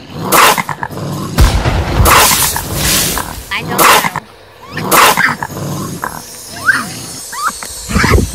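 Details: Male raccoon growls meant to drive female raccoons from an attic: rough, loud bursts roughly once a second, ending in softer chittering squeaks and brief grunts.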